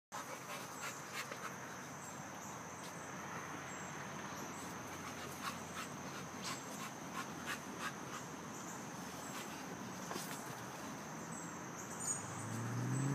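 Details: Moses, an adoptable American Pit Bull mix at a shelter, medium energy and playful, pants in rapid, fairly steady breaths of soft broadband rasps across the whole stretch, with faint outdoor background and a low rumble building near the end.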